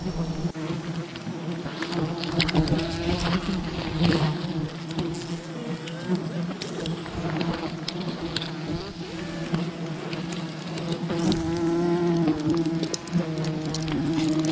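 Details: Wild bee colony disturbed during honey hunting: a dense, steady low humming drone with layered overtones and a ragged, scratchy texture, swelling slightly toward the end, with scattered clicks and rustling throughout.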